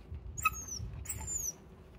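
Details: Male Shiba Inu at home greeting its owner on their return, a call the owner hears as 'ohayo' (good morning): two high, whining calls, each about half a second, falling slightly in pitch, over a low room hum.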